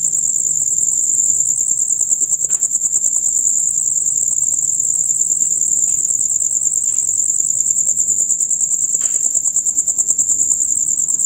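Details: Loud, rapid chirping from male crickets, a dusk-to-dawn chorus: continuous shrill pulsed trilling at a steady level, broken only by a few brief soft clicks.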